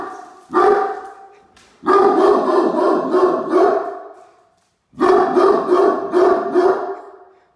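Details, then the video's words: Great Dane watch dog Mikey barking at a truck pulling into the driveway while Ellie holds a toy: deep, rough barks in rapid runs, a sharp opening bark, then two sustained bursts separated by a pause. "What Happens When The Great Dane Security System Goes Off"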